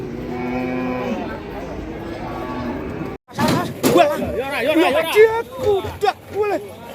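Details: Fat cattle in Indonesia: a long low droning moo for about three seconds, then after a break a busier stretch of wavering cattle calls mixed with music and clapping.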